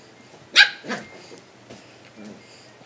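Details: A young female puppy, a black dog, being teased indoors on a couch by a person, gives two sharp barks in quick succession, the first loud and the second softer, then a few faint scuffles in a quiet room.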